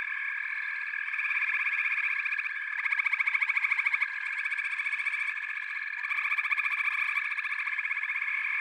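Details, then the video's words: Dense frog chorus, continuous high trilling drone with pulsed bursts layered on top, several callers overlapping in a steady wall of sound. "FROGS - Pig Frogs, Water Frogs, Backwater Chorus, & Frog Chorus"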